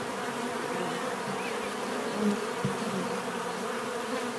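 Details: Bees keep up a continuous low buzzing hum, broad and even, with one short faint knock partway through.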